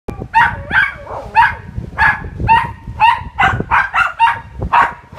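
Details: Two dogs barking at a seawall pavilion in Sunabe, summer 2017; a rapid run of about a dozen sharp, ringing barks, some doubled, with faint outdoor rumble underneath.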